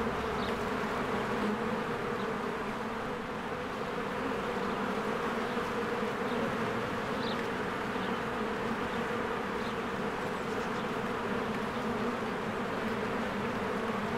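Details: Steady buzzing drone from many honeybees at their beehive in springtime as they fly in and out. The hum stays low and continuous without pauses.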